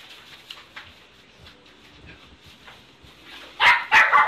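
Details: Black male Shiba Inu puppy, born 18 March 2017, at a pet shop; quiet shuffling and faint sounds, then two loud, sharp yaps close together at the end.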